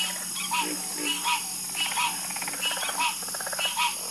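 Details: Chorus of frogs croaking at night, offered as a calming sleep soundscape: overlapping pulsed, nasal croaks at several pitches repeating about once a second, with a steady high hiss of insects behind.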